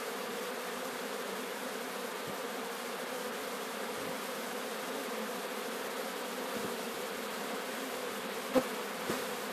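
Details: Swarm of Sicilian honey bees, Apis mellifera sicula, during capture at Sciacca, making an unbroken droning hum that holds even pitch and volume, with a couple of sharp clicks near the end.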